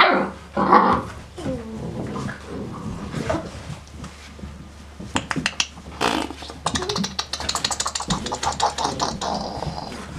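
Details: Five-week-old female Great Dane puppies from a kennel litter give high yips, whines and small growls in quick irregular bursts.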